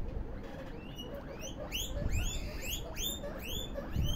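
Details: Popcorning guinea pigs give rapid upward-curving squeaks, several overlapping, growing louder and denser toward the end, with a few soft low thumps underneath.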